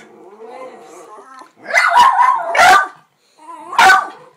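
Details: Pair of Jack Russell terriers in a birthday barking contest; soft human talk first, then a cluster of harsh overlapping barks and one final sharp bark after a short pause.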